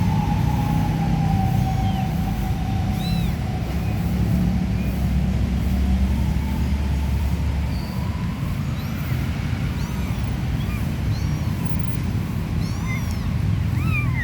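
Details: A stray mama cat and her three small kittens: a long, steady, slowly sliding mewing tone opens, followed by short, high, arched kitten-like meows dotted throughout, all beneath heavy low rumbling background noise.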